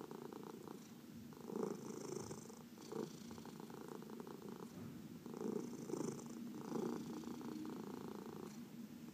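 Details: Purring of domestic cats being massaged, one of four adopted cats including senior shelter cats from the Humane Society of New York City; steady low rumbling purr swelling in soft pulses, indoors, with faint rustling of hands on fur.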